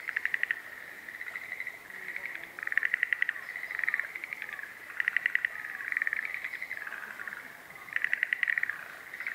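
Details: Several Schlegel's green tree frogs calling in spring at Showa Kinen Park, 10 April 2021, stereo: overlapping rattling pulse trains in bursts every couple of seconds, forming a continuous chorus.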